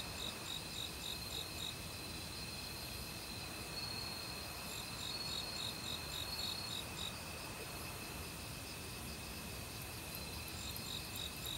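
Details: Forest crickets in autumn, chorusing with assorted other insects, high rapid pulsed trills in bursts that stop and restart, over a steady background hiss possibly from a nearby mountain stream.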